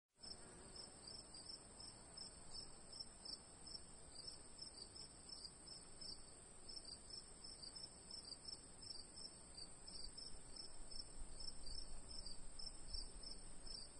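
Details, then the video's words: Crickets trill steadily in the afternoon with high, continuous ringing notes over a soft low rumble. "Afternoon Crickets Long Sound Effects -youtube sound effects library"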